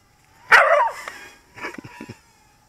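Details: Pet dog barking at a toy Skull Drone being flown around it after a game of fetch: one sharp loud bark followed by a quieter rough double woof, with a faint drone whine in the background.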